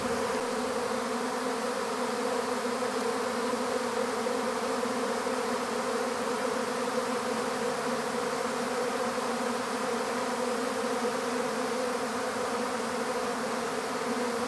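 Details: Honeybee swarm being captured into an empty hive, a dense steady buzzing hum with a strong low drone band and layered overtones, unbroken and even in loudness throughout.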